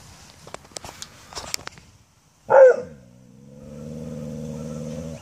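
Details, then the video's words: Pet dog, female, barking and growling at a brown UPS delivery truck as the driver shuts his door; one loud sharp bark followed by a long low rumbling growl, with faint clicks and rustling beforehand. "UPS Dog barking"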